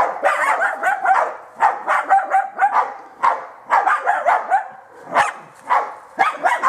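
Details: A German Hunting Terrier bays at wild boar during training, with rough, rapid barks in bursts every second or so.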